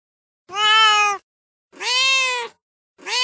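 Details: Two long, drawn-out, strongly harmonic meows from a male cat in heat, each nearly a second long and held steady, with a third starting at the end.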